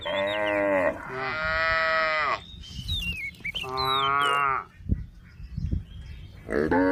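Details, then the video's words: A tame female cow stands on a road next to rice fields and gives rich, drawn-out moos, two near-continuous ones then another after a pause, while small birds whistle rising and falling notes in the background. "the sound of a tame female cow on the road beside the rice fields"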